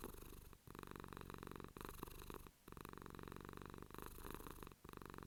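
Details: Close, steady purring from a pet cat: a deep vibrating rumble in long phases separated by brief breath gaps about every second or so.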